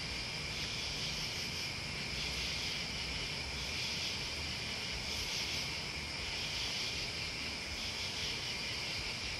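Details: A constant high insect chorus of crickets and bugs, slightly pulsing in loudness, set against a low droning rumble like distant traffic or wind.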